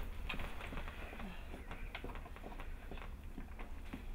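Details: Hannah, a Bernese Mountain Dog, panting while giving birth at home to the first of nine puppies on July 16, 2013; quick, breathy, rhythmic bursts come several times a second in a quiet indoor room.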